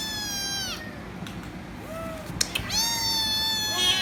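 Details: Noisy kitten demanding head rubs gives a long drawn-out meow, then a short faint one and another long loud meow with a clicking sound between them.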